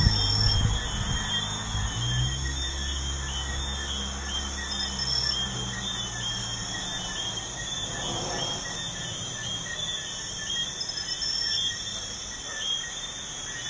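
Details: Crickets at night beside a busy highway, a steady layered high trill with pulsing bands running throughout, partly masked by loud low rumbling of passing traffic in the first half.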